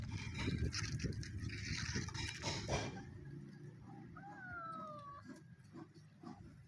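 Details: Two sibling stray cats living on the street, happy at being given food: after three seconds of loud scuffling and crunching noise, a single drawn-out meow slides downward and fades.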